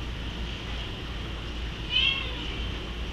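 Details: Bengal cat crying because he wants to go upstairs: a single short, wavering meow around the middle, set against a steady low hum that fills the background throughout.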